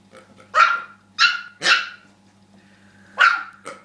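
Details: Rookie, a dog that does not like the pig, barks four times in sharp, high yappy bursts, two quick barks close together then a pause and two more, over a steady low hum.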